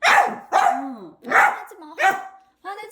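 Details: House Dachshund protesting that its food is too hot, letting out four sharp, loud barks in quick succession followed by a short whiny yelp.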